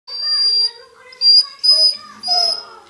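A Basset Hound cries in high, drawn-out whines, four tonal bursts wavering slightly in pitch.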